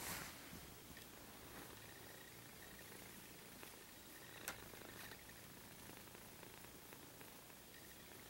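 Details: Mittens, a pet cat, lies on her back showing her belly while sprawled on papers and books indoors, purring in a soft, steady, low rumble that continues evenly throughout with a faint click partway.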